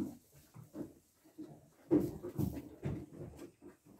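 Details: Mother goat tending her newborn kid on a farm in Pori while two-day-old kids climb about; soft, low grunting murmurs repeat roughly twice a second, louder in the middle, amid shuffling and hoof noise.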